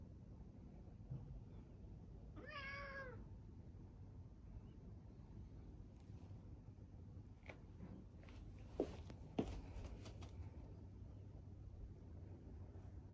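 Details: Cat in an Adachi, Tokyo park, December 2, 2022, keeping pace with its owner before jumping on them: one short harmonic meow early on, followed by footsteps, clicks and rustling against low background rumble.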